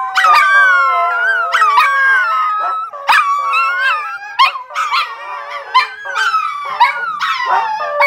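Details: At home during play, Siberian huskies give a run of loud howls roughly once a second. Each starts with a sharp yelp and bends into a drawn-out, falling, wobbly tone, with rich overtones.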